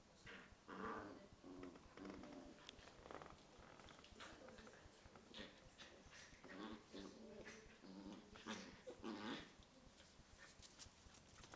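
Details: Corgi and Scottish Terrier at play inside, trading repeated rough, rumbling growls in short bursts across the recording, with a louder run of growling between the eighth and tenth seconds and scuffling noises throughout.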